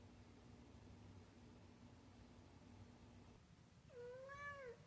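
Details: Female house cat indoors meowing in reaction to a noise coming from the ceiling: one drawn-out, slightly rising then falling meow near the end, heard over a steady low electrical hum.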